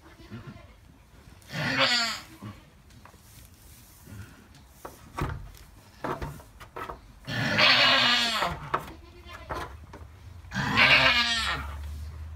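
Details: Alpine goat doe in labour, giving birth to triplet kids; three loud, wavering, harmonic-rich bleats around two, eight and eleven seconds, with quieter rustling and clicking in between.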